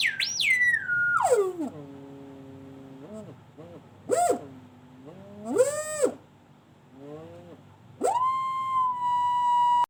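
A Golden Retriever makes strange, drawn-out whining sounds, each note sweeping steeply down or up before holding steady. The voice is clear and musical, with short pauses between the wavering phrases.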